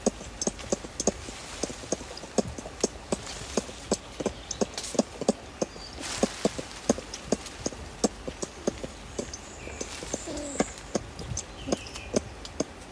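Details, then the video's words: Ring-tailed lemurs, adults feeding in trees at Berenty Reserve, recorded close up, give soft clucking contact calls: short dry clucks repeated rapidly and fairly evenly, several animals overlapping, with faint higher chirps in the background. "Ring Tailed Lemur / Contact 'Clucking' Calls CU From Adults Feeding In Trees"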